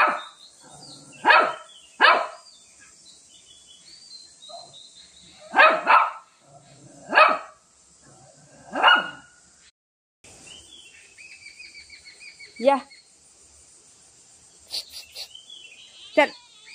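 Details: Shih Tzu facing a cat, giving isolated sharp barks spaced a second or more apart, followed by a woman's voice talking and calling the dog away.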